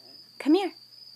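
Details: Zada, a blind seven-week-old female Chihuahua puppy with severe hydrocephalus, rescued from a Fort Worth, Texas shelter, gives a single short tonal yelp that rises then falls, with a steady high electrical whine behind it.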